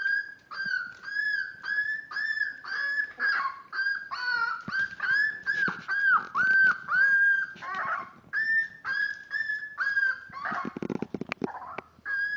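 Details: Five-week-old Miniature Dachshund puppies, born March 30th; steady run of high, bent whimpers about two per second, many slurring downward, with a rustling burst near the end.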